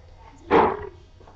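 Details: Four-week-old puppies at play indoors; a single short, sharp yip bursts out and fades within half a second, with a faint low hum in the background.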